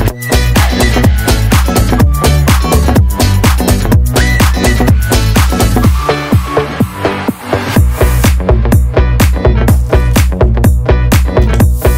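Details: Loud electronic dance music with a steady pounding beat and synth chords runs throughout.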